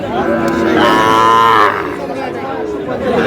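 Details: Sahiwal bull calf, about six to seven months old, at Aftabganj cattle market in Dinajpur, Bangladesh, on a Tuesday market day; a drawn-out, rising-then-falling moo over steady crowd chatter and men talking.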